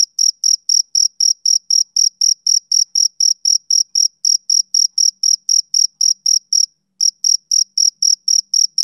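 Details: Male cricket chirping rhythmically: a long string of bright, high pulses about four per second, one short pause near the end before the chirping resumes; no background noise.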